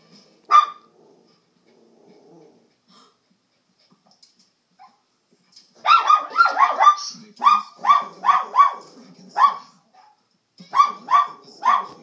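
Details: Pet dog barking at the TV indoors; one isolated bark, then a run of sharp barks in quick bursts of two or three, roughly every half second, pausing and resuming near the end, with faint low growly undertones.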